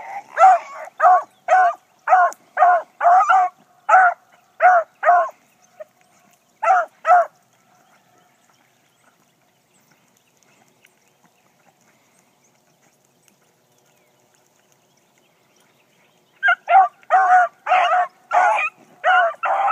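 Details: Female Blackcreek hound out running in the morning on her first run: a string of sharp, evenly pitched barks, then a long silence of about nine seconds before another fast burst of barking.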